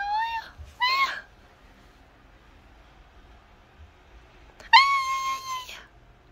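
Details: Calico cat meowing: two short mews close together, a long pause, then a longer, level, drawn-out meow, in a quiet room.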